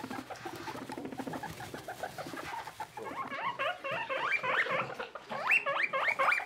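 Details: Baby skinny guinea pig Boniface, a hairless pet newly paired with companion Pushok: rustling and patter at first, then from midway a run of short rising squealed whistles, several per second, growing louder toward the end.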